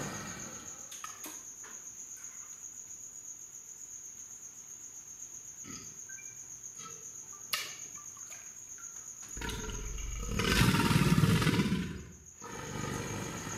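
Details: Male American alligator in water, bellowing in response to a tuba playing B-flat, back arched with head and tail raised in a water dance. About ten seconds of near quiet with a steady high whine, then a loud, deep, rumbling roar lasting about three seconds.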